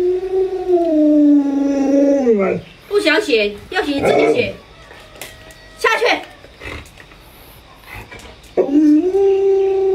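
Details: Trying to wake its late-sleeping owner, the Alaskan Malamute Luoluo gives a long level howl that falls at the end, followed by human talking and rustling, then another sustained howl begins.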